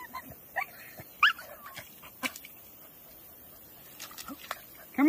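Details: Pet Staffy female crying to get her stick back: brief high squeals and rising whimpers recur irregularly, ending in a louder whine. An owner speaks nearby and there are clicks and knocks.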